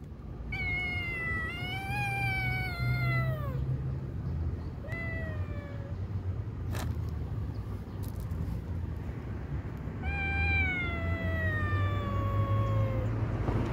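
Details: Kitten screaming after a black cat scared it away from its food: drawn-out, wavering wails that slide downward in pitch, in three bouts, the first about three seconds long, over a steady low rumble.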